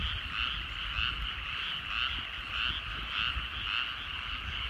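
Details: Frogs calling in rice fields at sunset in the countryside: a dense chorus of pulsed, rattling croaks that swell in repeated bursts about every half second, with several callers overlapping and a steady low rumble beneath.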